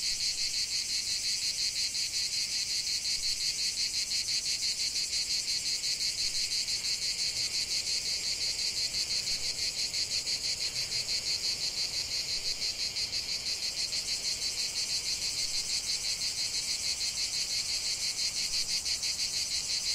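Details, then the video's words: Chorus of cicadas in a lavender field, an unbroken shrill buzz throbbing in quick regular pulses roughly three per second, with no other clear sounds. "chant de CIGALES au cœur d'un champ de lavande"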